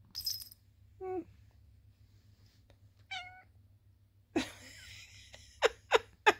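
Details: Sweet Pea, a talkative tabby cat known for her squeaky, bell-like little voice, makes brief chirping meows amid scattered clicks and rustles, ending with three sharp taps in quick succession.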